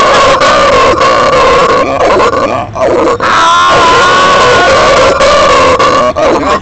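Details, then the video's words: Pet howler monkey (araguato), apparently now grown to adulthood, howling: a loud, continuous, rough droning roar held throughout with a steady low tone, briefly dipping twice; a person's voice is faint underneath. "MI ARAGUATO SOCRATES RONCANDO"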